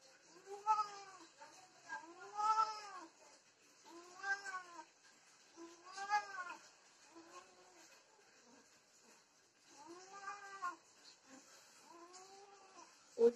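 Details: Desi and Persian domestic cats during mating: a series of drawn-out, wavering yowls, each rising then falling, repeated in bouts about every one to two seconds, with a faint steady hiss in the background.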